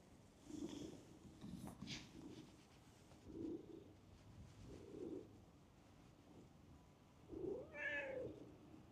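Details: Stray cat in a park running up on seeing a familiar face: several short, soft low meows spaced about a second or two apart, then a louder rising-falling meow near the end, over faint outdoor background noise.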